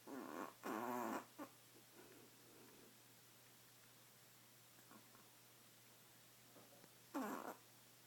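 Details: A badger asleep and snoring loudly, giving a harsh vibrating snore near the start, faint snuffles in the quiet middle, then another short rasping snore.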